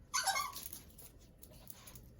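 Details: Ziggy, a merle Chihuahua puppy, sneezes with excitement over cheese indoors. One sharp, breathy burst sounds at the start, then fades to quiet room noise; the owner gives sit and down commands around it.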